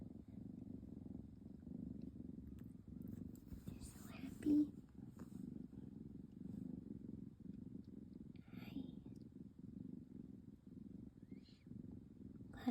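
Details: Tabby kitten, described as always purring and a look-alike of an adult cat, purring indoors: a steady low rumbling purr throughout, with a woman talking softly over it and brief rustles.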